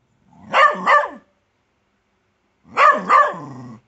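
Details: Bedlington Terrier in a garden barking at a grub it has found: two double-pulsed, harmonic barks about two seconds apart, the second trailing into a low whine.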